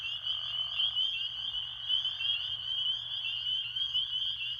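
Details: A dense spring peeper chorus at Beaver Pond in the campground at Bear Brook State Park, New Hampshire: countless high, shrill peeps overlap into a steady, ringing, unbroken wall of sound. Bullfrogs also seemed to be present.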